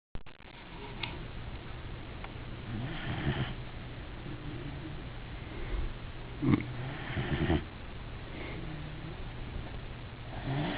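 A sleeping Weimaraner snores with low, rumbling breaths every few seconds.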